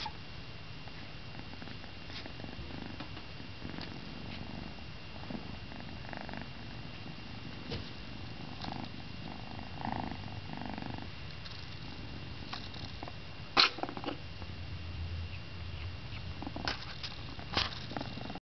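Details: A domestic cat purring indoors, showing a purring-induced sneeze. Steady low rumbling purr throughout, broken by a sharp sneeze midway and a few smaller snorts near the end.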